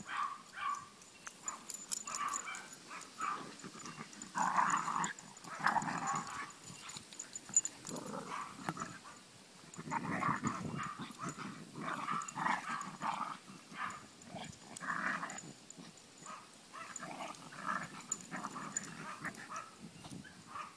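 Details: Chihuahua puppy romping outside with its big sisters, a continuous stretch of rough play growling and grumbling in short bursts, with a busy, noisy background throughout.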